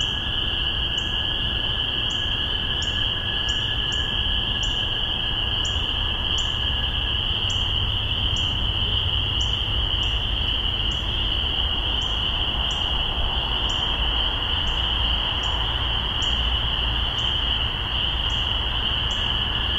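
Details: A dense spring peeper chorus in Massachusetts, spring 2015, makes a steady high ringing, with sharper peeps repeating above it.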